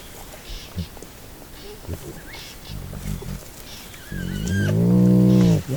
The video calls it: Playful Baby Hyena Sounds – Hyena Growl—Squeal Sounds – Sound of Hyena